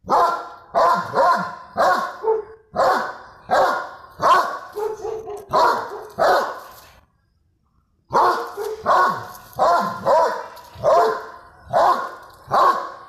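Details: A Doberman named Lexi, chasing street dogs down a street, gives deep, gruff barks in quick, uneven bursts, with a brief pause midway.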